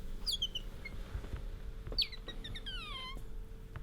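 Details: Bingo, a pet otter, squeaks while rubbing up against its owner: brief high descending chirps, a few sharp squeaks spaced over four seconds, with a steady background hum.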